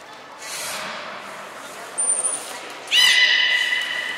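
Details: A captive beluga at Port of Nagoya Public Aquarium, 14 March 2021, while the whales Hodoi, Taanya and Mirai move between pools and train. A short high whistle tone comes first, then a sudden loud harmonic call that rises and holds steady. Visitor noise runs underneath.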